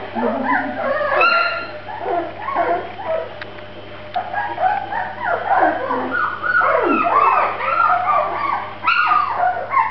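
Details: A litter of Grand Basset Griffon Vendéen pups whining together: high, sliding cries that often fall in pitch, mixed with sharp yips and a few louder squeals, several voices overlapping continuously.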